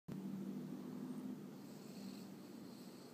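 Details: A Boston Terrier snores loudly with a low, steady rumble that drags on for about three seconds.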